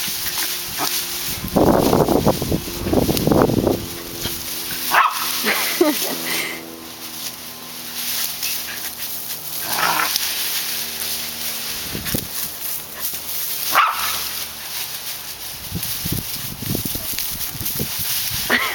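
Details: Dog barking in August 2010 near its favourite bush; loud bursts of rough barks cluster early, then sparser single barks follow every few seconds, with faint talking and background hiss.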